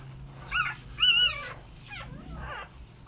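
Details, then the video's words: American Bully mother, very protective of her newborn puppies; high wavering whines, one louder rising-falling cry near one second, then softer sliding whimpers, with a low hum beneath; a person says "Easy" afterward. "American bully way over- protective the new born puppies"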